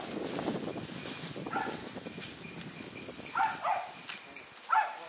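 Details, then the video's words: Several hunting dogs tracking a wild boar give distant barks; a few short harmonic yelps arrive late in the recording after a stretch of low rustling and footstep noise outdoors. "イノシシを追跡した犬たちがそう遠くない場所で鳴いています。"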